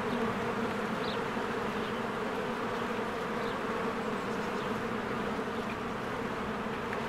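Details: Swarm of honeybees working at a cozy hive in spring, a continuous thick buzz with steady low hum bands, and a few short, faint high chirps of birds rising over the drone.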